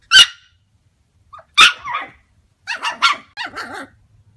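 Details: Yorkshire Terriers giving two loud, sharp single barks, then a fast run of yappy barks ending in a wavering, whimpering whine; faint low hum in the quiet gaps.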